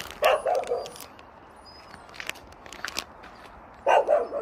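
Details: Tongtong, a chubby playful dog, and its companions bark at a novice courier arriving at a countryside house, barking to get him to play. A quick triple bark opens, quiet follows with faint speech, then another rapid pair of barks.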